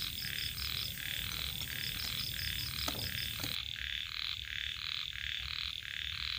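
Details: Small rice-field frogs (khiat) calling along the edge of rice fields on an evening in the countryside. Rapid pulsed croaks come in steady bursts about three per second, over a thin high insect buzz and a constant faint whine.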